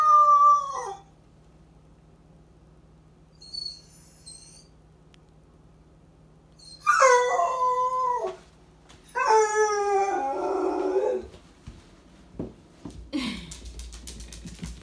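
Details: Male Basset Hound howling while he believes he is home alone: mournful, wavering howls with falling endings, separated by quiet pauses, the last long howl breaking into rough whimpering, followed by faint rustling.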